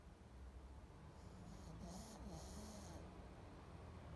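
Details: Brief stretch of a sleeping pug's snoring: a buzzy low rumble with snorting, nasal breaths and a faint airy hiss in the middle.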